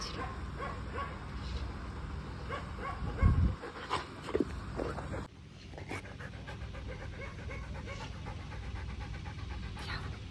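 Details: A dog panting rapidly, with short breathy bursts repeating several times a second across the whole stretch, over a steady low rumble, with a few louder knocks and rustles near the start.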